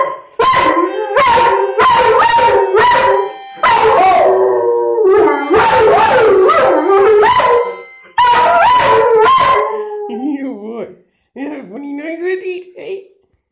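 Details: A Huntaway dog "sings", howling in long, wavering tones broken by short barks.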